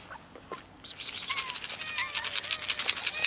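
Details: Group of cats gathered by a building, waiting for someone to feed and pet them; a chorus of thin, high meows with gliding pitch, layered over clicking and rustling sounds.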